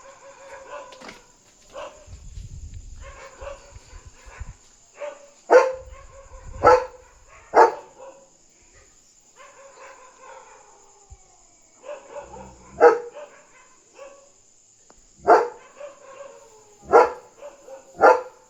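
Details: German Shepherd on night guard duty, barking at a dog outside to protect territory; softer whining, yelping calls mixed with sharp single barks repeated every second or two, some low thumps and a faint high hum.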